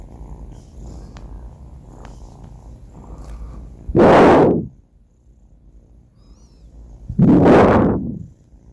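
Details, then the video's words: Banh Mi, a sleeping four-month-old male cat, snores: two loud, rough breaths about three seconds apart, each a short broad burst, with quieter low breathing between them. "snoring cat | sleeping cat"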